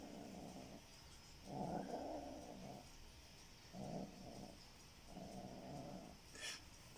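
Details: Kitten guarding its toy and growling possessively: four low, rough rumbling growls in separate bursts of about one second each across seven seconds, with short quiet gaps between them.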